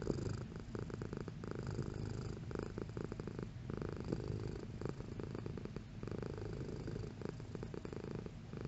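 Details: Purring house cat, deep throbbing vibration kept up steadily, rhythmically interrupted by small breathing gaps, fairly even in loudness across the stretch.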